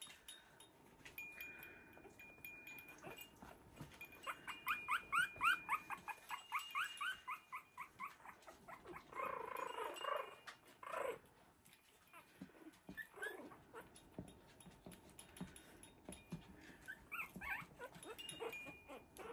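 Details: Havanese puppies, three weeks old, from the "January Storm" litter romp with a toy in an enlarged whelping box, giving rapid runs of shrill squeaky yips and whimpers about four a second, then scattered squeals over quiet music.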